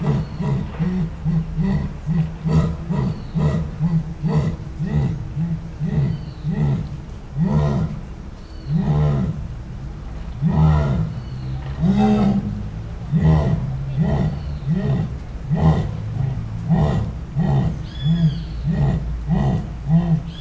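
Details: Jaguar (Panthera onca) giving its esturro roar, recorded live in high quality: a long series of deep, hoarse grunting strokes, about two per second, repeated steadily for twenty seconds with a rasping, sawing rhythm.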